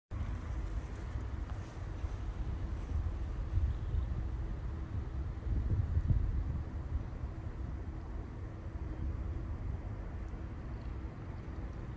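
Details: Steady low outdoor wind rumble buffets the microphone, with no animal voice.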